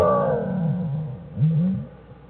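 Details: Low, droning harmonic moans, with one short rising-and-falling call, from black bear Jewel and her cubs Fern and Herbie in their den, January 1, 2013, studied at the Wildlife Research Institute.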